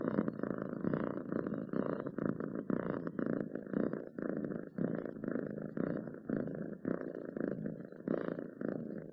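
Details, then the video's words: Pet cat giving a long, continuous purr: low, throbbing buzz in regular breath-linked waves, slightly fading and returning, recorded close in a quiet indoor space. "7 minutes of Cats Purring to make your day better!"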